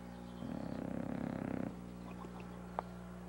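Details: A sleeping bulldog named Sammy, resting on a couch after Christmas shopping, gives one fluttering, rattling snore of rapid pulses lasting just over a second, followed by quiet breathing and a faint click.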